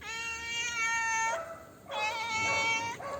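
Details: Black house cat after eating Dairy Milk chocolate gives two long, steady, tonal meows, each over a second long, separated by a brief breathy pause.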